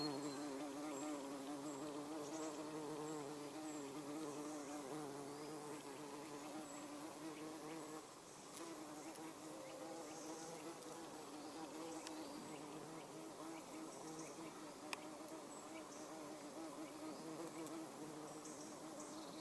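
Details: Garden bumblebee, Bombus hortorum, working everlasting sweet pea blossoms; a continuous low humming buzz that wavers in pitch and loudness for the whole stretch, with faint clicks and rustles in the background.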